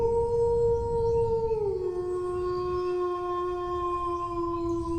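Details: Sustained dog howl held at one pitch, then sliding down to a lower steady tone that carries on to the end, with a low background rumble.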